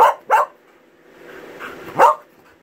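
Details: Norwegian Buhund male answering a person by "talking": two short sharp barks in quick succession, a quiet murmuring whine, then a third bark.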